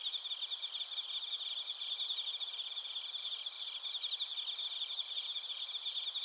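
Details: Suzumushi and kōrogi crickets calling in Narita, Chiba Prefecture, Japan, recorded with a TASCAM Portacapture X8: unbroken high trilling in several bands, with rapid, bell-like pulsed chirps repeating evenly across six seconds.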